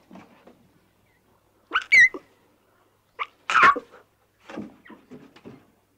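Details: Playful young lion cubs frolicking in the wild give short, harsh squealing yelps, two loud bursts a second and a half apart, then softer grunting mews trailing off.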